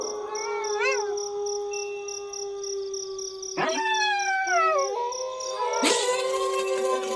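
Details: Several wolves howling together, one steady drawn-out tone held throughout while other voices slide down in long falling glides, a brief rising-falling yip near the start and a fresh howl breaking in near the end.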